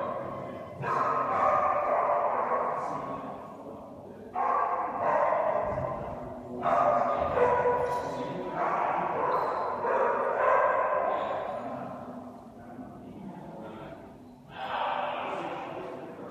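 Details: Loki, an Alaskan Malamute, having fun at Dog Diplomacy on 27 January 2017, gives a run of drawn-out, mid-pitched, harmonic vocal bursts, roughly six in sixteen seconds, each starting abruptly and holding for a second or more before fading.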